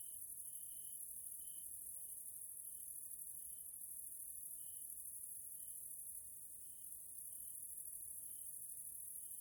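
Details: Evening grasshopper sounds in a Hungarian nature area, Central Europe: continuous shrill high-pitched buzzing chorus, overlaid by short pure-toned pulses repeating roughly every second.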